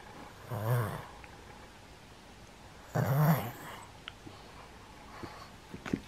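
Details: Senior pug indoors in Japan on 31 October 2020; two low, rough, snorting grunt-like vocalizations about two seconds apart, with faint clicks and room noise between.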